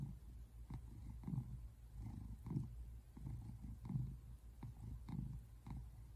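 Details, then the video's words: Low rumbling purr from Simon, a tabby American Shorthair lounging on a couch, recorded February 8, 2024; deep throbbing bursts rise and fall in uneven cycles about every half second. "Cat purring sounds"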